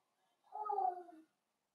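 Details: Blenheim Cavalier King Charles Spaniel puppy, one of a litter of five born on New Year's, playing with mother Paris in an indoor puppy pen; a single short whine with a wavering, slightly falling tone, otherwise quiet.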